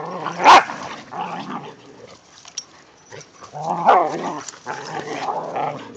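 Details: Play-fighting dogs, whippets alongside a rat terrier, romping in the first light snow of the season: low, throaty growling in several stretches with a couple of abrupt barks standing out.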